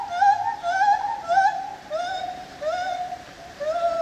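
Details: Lar gibbon (white-handed gibbon) at the ZOO in Opole: a run of clear, wavering hoots with rich overtones, some gliding upward, about five notes in four seconds with brief gaps between them.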